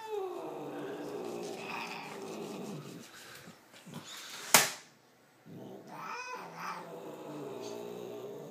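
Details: Indoors, Lucifer the cat sustains a moaning, slightly rising wail, then falls quiet after a sharp bang before resuming with another drawn-out, wavering yowl.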